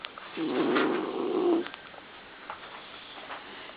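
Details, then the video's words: A 17-year-old male smooth-haired black and tan Dachshund, weighing 12-13 pounds and sleeping in his new bed, snores once with a low, raspy, rattling breath lasting about a second. "Dachshund snoring in his Mickey Mouse bed..."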